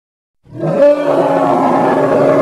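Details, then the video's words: Hippo, Congo: a roar starts abruptly after a half-second of silence and swells quickly into a raspy, harmonic bellow that stays loud and steady for about two seconds. "Hippo (Congo) Sounds"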